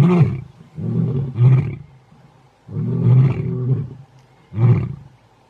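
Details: Big male lions, the Mpondo males of South Africa, roar in deep, throaty bursts, each rumbling moan cut off by short pauses.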